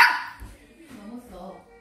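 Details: Maltese barking in the house, asking to climb onto the sofa; one loud, sharp bark opens the moment, then a person talks quietly over a low room hum.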